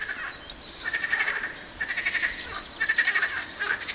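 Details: On a hot spring day, 24 Apr 2012, at 50.935752, 34.829053, frogs give short, rapid pulsed trills in bursts, one after another with brief pauses; frog.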